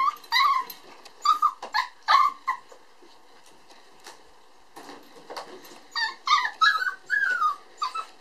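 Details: Red male puppy born on December 22, making repeated high whimpering yelps in short bursts with pauses between.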